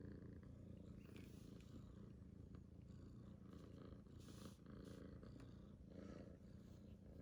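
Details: Purring from a rescued kitten: continuous low rumble, soft and even, with brief faint rustles above it.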